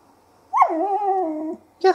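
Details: Twenty-week-old female whippet vocalizing: a sharp onset sliding into a sustained, even, nasal moan of about one second, then a quick short yip at the end.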